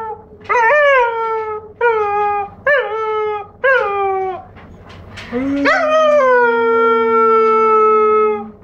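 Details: Giant Schnauzer puppy, four months old, giving a run of short falling howls that build into one long, level, drawn-out howl lasting about three seconds.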